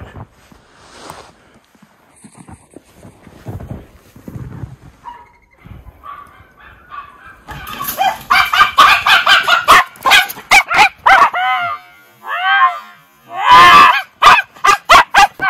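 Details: Two Miniature Schnauzer brothers romping in deep spring snowpack in their yard, Aroostook County, Maine, February; a quiet stretch gives way to a rapid burst of loud, sharp, repeated barks, several per second, with some yips and rustling.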